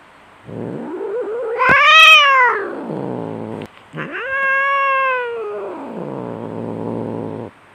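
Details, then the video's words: Domestic cats fighting, fierce: two long wailing yowls that rise, peak, and fall away, joined by a low rumbling growl that lingers after the second cry. "SUARA KUCING BERANTEM - Dijamin 100 % Garang !!"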